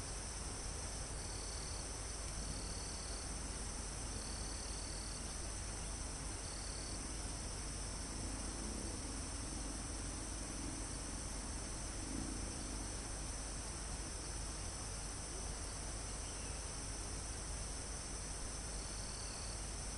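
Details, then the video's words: Crickets and other insects in a forest almost at the top of a mountain, recorded live: a steady high insect hum with short trilled bursts of about a second repeating at irregular gaps, over a constant low rush of wind in the foliage. "Calm Forest in Mountain With Crickets, Insects Sound"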